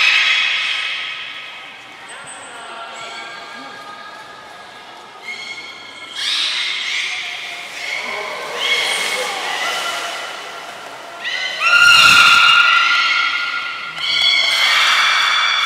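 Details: Belugas Gray, Nana and Mirai in training at Port of Nagoya Public Aquarium on 6 August 2023: squeaky harmonic calls and whistles, a bright pure whistle near twelve seconds, with pulsed bursts and the echo of a large indoor hall.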